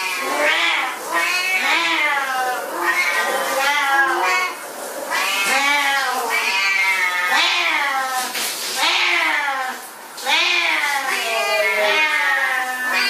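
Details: Several Siamese cats at bath time give long, drawn-out, yowling meows. Each cry rises and then sinks, and the cries overlap in a steady chorus, with short lulls partway through and again near the end.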